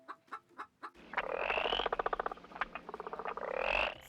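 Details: Frog calling in a rapid run of short pulsed croaks, about three or four per second, with brief gaps between bursts. Clucking from a chicken opens the recording, and soft music plays underneath.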